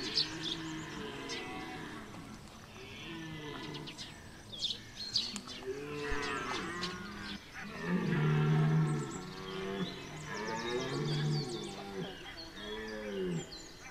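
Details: Red deer during the September rut at Chambord, France: a series of deep, arching groaning roars overlapping at varying distances, with scattered bird chirps above.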